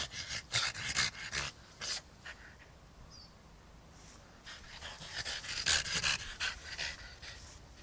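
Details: A French Bulldog, one year old, plays with a plush Dalmatian toy outside in the yard, giving rapid airy panting bursts, loud at the start, a quieter pause midway, then vigorous again.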